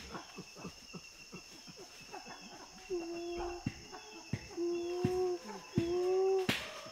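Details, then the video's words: Chimpanzee panting and feeding grunts from the Tai Forest, Ivory Coast: quick breathy pants at the start give way to louder sustained tonal grunts with clear harmonics, ending in a sharp crack. "Chimpanzee. Panting And Feeding Grunts"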